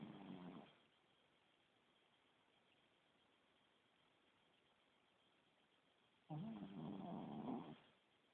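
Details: Small Shih Tzu dog sleeping indoors and snoring loudly: a rough, rattling snore at the start, a long quiet pause of several seconds, then another raspy, buzzing snore lasting over a second.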